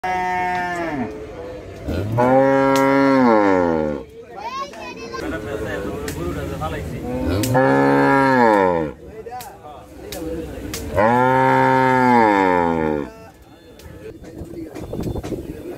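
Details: Five cows moo, each calling twice, in long, loud, rich calls that rise then fall.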